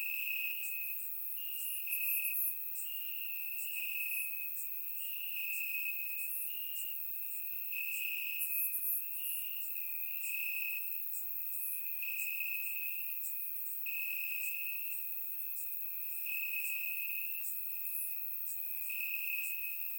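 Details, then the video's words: Crickets singing in the grass at night in Bulgaria in warm summer weather, surround-microphone recording. A level high-pitched trill runs throughout in rhythmic surges about every second, overlaid by short, very high ticking chirps. "Cricket Sounds - Crickets Chirping at Night"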